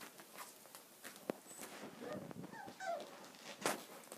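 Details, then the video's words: Cocker Spaniel puppies, six of them at six and a half weeks old, playing indoors: soft high whimpers and squeaky yelps come in short bursts amid scuffling and thumps, with a few faint rising whines. "Playful cocker puppies"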